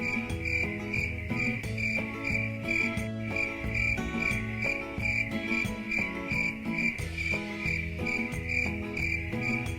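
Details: Cricket chirping meant to soothe the mind: an even, high, ringing pulse repeated about twice a second above soft melodic background music with low notes.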